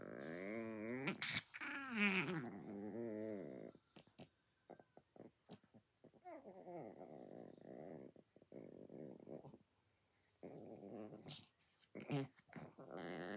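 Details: A chihuahua eating breakfast growls in three long bouts, each a wavering, quavering rumble lasting several seconds, with short pauses, clicks and chewing noises between them in a small room.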